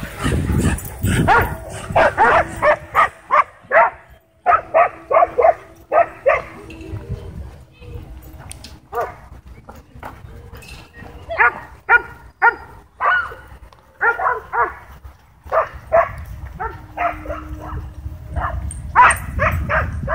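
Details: Dogs at a dog park whipped into a wild frenzy by a DJI Mavic 2 drone, barking in rapid repeated bursts with pauses, several voices overlapping, some yips, and wind and people audible in the background.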